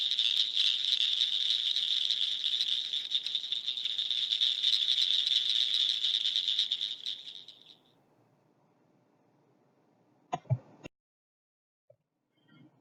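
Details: A northern cricket frog gives a fast run of sharp, high clicks, likened to two stones tapped together, a cricket, or a socket-wrench ratchet.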